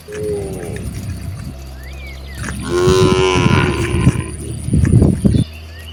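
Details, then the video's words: One of dozens of cows roaming freely in nature lets out a rich, drawn-out moo of about a second. A fainter lowing comes earlier. Steady low rumble and occasional bird notes are heard in the background. "the cute sound of cows mooing"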